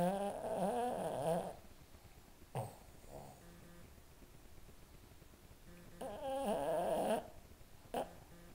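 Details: Boston Terriers snoring while asleep indoors: two long rough snores with pulsing low tones, each about a second long, separated by quiet breathing and a few brief snorts.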